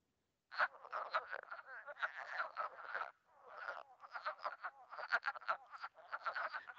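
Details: Wood frogs in early spring give a dense chorus of short, clucking, duck-like quacks, like the sound heard near ponds on Mont Saint-Hilaire that seems to come from many ducks.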